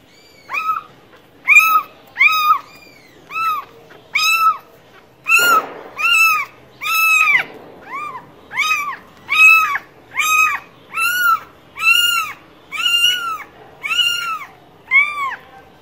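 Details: Repeated cat meows, short arched harmonic calls at a quick, fairly even pace, with a brief noisy burst midway; otherwise a quiet room.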